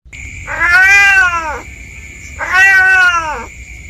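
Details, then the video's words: Village cat exploring the bushy 'jungle' behind a house, meowing increasingly panicky: two long, drawn-out wavering meows about two seconds apart, over a steady high-pitched continuous tone in the background. "SUARA MEONG MEONG.!!"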